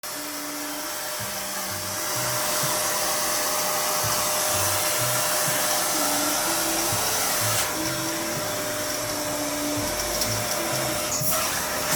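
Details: A steady roar of a vacuum cleaner fills the room, with soft background music beneath it and no bark or other animal sound.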